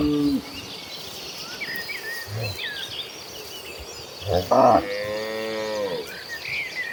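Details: Cows in a herd heading to pasture in the late afternoon; one drawn-out moo near 4.5 seconds that slides downward, preceded by a short low grunt, with bird chirps scattered over a steady rural background.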